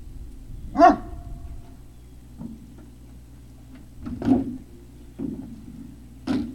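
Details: Great Dane puppies, 3 May 2019: a single clear bark with a brief tonal tail stands out early, followed by fainter, muffled thumps and a softer distant bark near the end over low hum.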